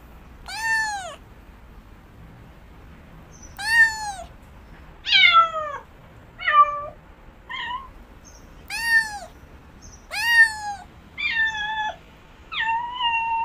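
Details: Repeated cat meows, around nine calls with irregular gaps, mostly short arched notes dropping in pitch, some flatter and more nasal, ending with a longer level meow; background otherwise quiet.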